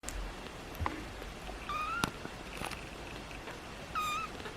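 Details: Pixel, a kitten, gives two short level tonal meows near 1.7 and 4 seconds, each slightly falling with clear harmonics, amid faint clicks and quiet room noise.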